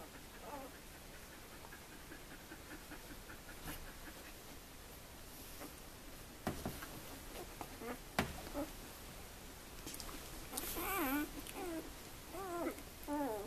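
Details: Two-day-old puppies from the Sweet/Elite litter, indoors, making soft high squeaks and whimpers with bright harmonics, scattered at first and then clustering into a lively run of rising and falling squeals toward the end, over low room noise.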